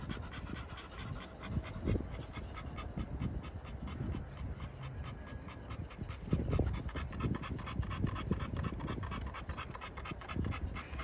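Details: Rhythmic, steady panting from pocket American Bully boys at a Romanian kennel, with fast airy huffs that keep going through the whole stretch, plus a few low knocks and rustles.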